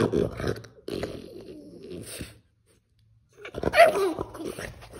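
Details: French Bulldog throwing a tantrum indoors in a small room: bursts of grumbling, whiny vocalising with growly low tones, a pause of silence, then another loud whimpering outburst.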